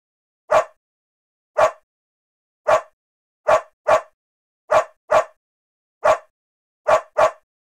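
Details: Dog barking: ten short, sharp, clipped barks, several in quick doubled pairs, spaced irregularly over about eight seconds, with dead silence between them and no other sounds.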